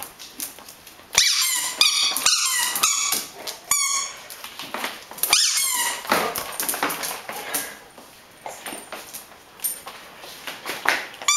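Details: A Greater Swiss Mountain Dog playing with a ball indoors: a burst of high, squeaky whining notes and short yelps early on, then rustling, scuffling play noises with scattered sharper squeaks.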